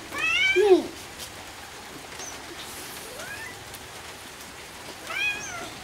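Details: A cat gives a loud, insistent meow at the start, a fainter drawn-out call near the middle, and a second loud meow at the end, over a steady background hiss.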